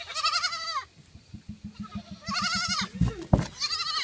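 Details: Fainting goats: three loud quavering bleats with wavering harmonics, separated by a run of fast regular low clicking or tapping and a couple of sharp knocks.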